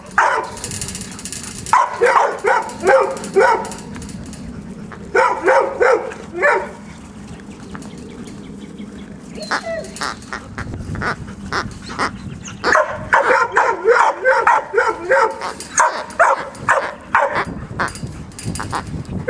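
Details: Labrador Retriever puppies at play with a stuffed duck: repeated clusters of sharp, high yipping barks, several per second, separated by short pauses of growling and scrabbling, with louder sustained yapping near the end.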